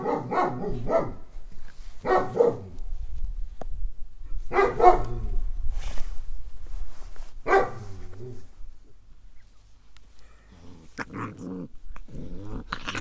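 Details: Village puppies giving repeated harmonic barks every two to three seconds, then fainter, shorter yaps near the end over a low rumbling background.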